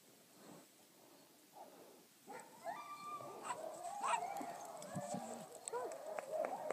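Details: Summer puppies Hans and Sue at Dew Claw Kennel, with their mother Bedbug nearby, give a drawn-out, wavering whine that starts about two seconds in and keeps going, while a person talks softly over the top.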